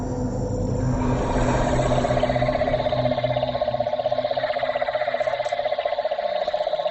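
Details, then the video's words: A mob of cane toads calls at Fog Dam near Darwin, where invading toads are overrunning the area: a chorus giving a steady, droning trill with overlapping pulses from many callers. Cane toad. "you can hear a mob of cane toads calling at the moment. Buggers."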